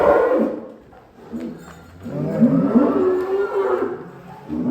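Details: An agitated cow breaking out of its pen gives low, strained moos with rough harmonic bands, fading into a short lull before swelling again, over a noisy, clattering background.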